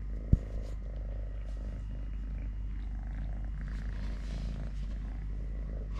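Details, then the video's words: Three-legged house cat Totoshka purring as he eats, plays, walks or fights a hand; an even, low throbbing purr for the whole stretch, opening with a sharp tap. "10 MINUTES of LITTLE GREMLIN PURR PURR | Having Food, Playing, Walking, Fighting with hand, purring"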